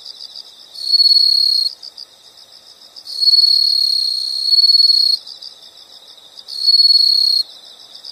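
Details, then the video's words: Insect sound for calm and sleep: three loud, high, steady buzzing trills, each lasting one to two seconds, separated by quieter fast pulsed chirping. "the sound of insects"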